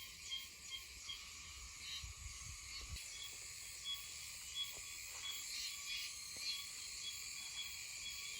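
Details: Meimuna oshimensis cicadas in Okinawa in mid-September, calling here and there: a steady, high-pitched buzzing drone in layered bands runs throughout, with faint low knocks and thumps underneath.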